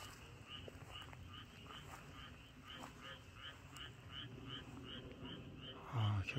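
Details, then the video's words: Frogs call in a steady chorus of short, bright, repeated notes over a low rumble on a quiet, dark rural night in spring (late April 2023) in Chungcheong, South Korea. "개구리 소리가 아주 좋네요."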